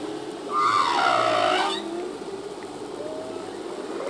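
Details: Humpback whale male song underwater, a single broad wavering cry with bright overtones lasting about a second, followed by a faint low moan and soft rising note.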